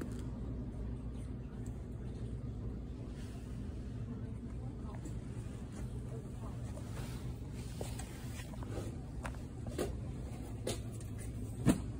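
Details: Soft talking over a constant low traffic rumble with a faint click at the close, and no animal call anywhere.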